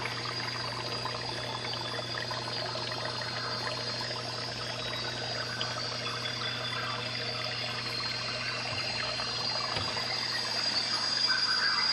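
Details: Steady trickling water from a dart frog tank with a constant low hum.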